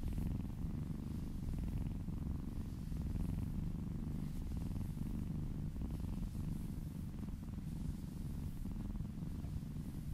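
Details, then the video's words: Purring kittens being massaged, one little kitten licking down an arm and purring close by; a steady, deep, continuous rumbling purr runs through the whole recording with no breaks, recorded indoors. "Purring kittens ASMR"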